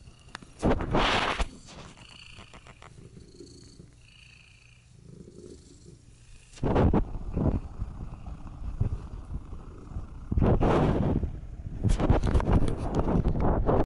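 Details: Domestic cat purring contentedly while kneading and being petted on a lap; low steady rumbling purr runs throughout, broken by several louder rustling, handling bursts near the start, middle and end.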